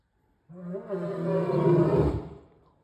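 A male lion gives a deep, swelling roar that builds to full power and then fades away.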